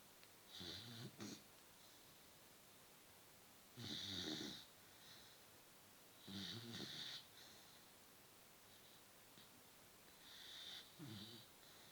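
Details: Snoring beagle asleep indoors, four strong rasping, fluttering snores spaced about three seconds apart, each with a breathy hiss, filling the quiet apartment.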